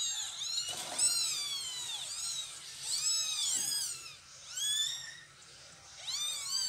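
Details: Mother cat carrying her kittens to a new spot, with repeated high, arched meows overlapping in quick succession, rich in harmonics, a short pause near the middle before more calls.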